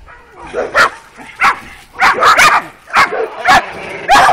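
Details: Kuvasz puppies of working type, aged 12 weeks, including females Béta and Pszí, on a first street outing dated 28 April 2017; loud, high, abrupt barks, single and doubled, spaced roughly every half second over a quiet background.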